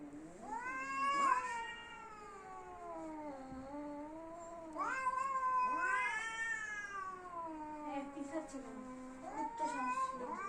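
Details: Angry domestic cats squaring up to fight, several long wavering yowls swelling and sliding in pitch, roughly every four to five seconds, with a person talking faintly in the background.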